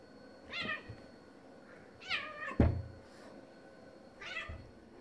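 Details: Two male domestic cats, a black-and-white male and a neighbour's male, fighting over territory; three harmonic, wavering yowls arrive about every two seconds, with a dull thump between the second and third.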